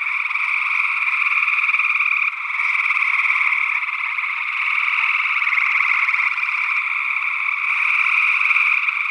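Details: Early June 2022 in Northwest Wisconsin: gray tree frogs in a thick, continuous chorus of trilled calls, captured with ORTF-paired SE Electronics sE8 microphones. A second, unidentified frog species calls among them, and the chorus dips briefly near the start.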